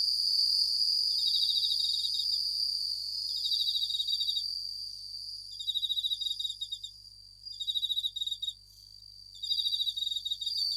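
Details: Japanese bell crickets (suzumushi) sing at night, high bell-like trills in short pulsed bursts over a steady shimmering chorus.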